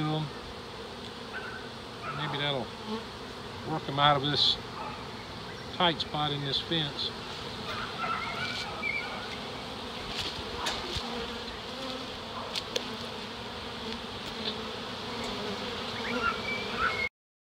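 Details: Large early-season reproductive honey bee swarm of close to seven pounds during a capture in Dale County, Alabama; a dense, steady droning hum fills the background while a man talks over it in the opening seconds.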